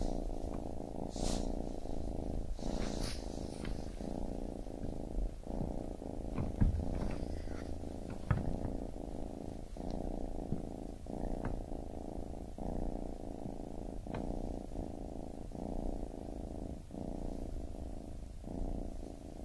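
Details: Long stretch of a baby kitten purring, a deep buzzing rumble broken into regular breath cycles about every second, with scattered soft clicks and rustles early on.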